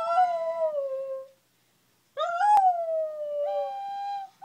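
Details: Wire-haired terrier howling along to flute playing: two long wavering howls that start high and slide slowly downward, the second rising again near the end, separated by a brief silence.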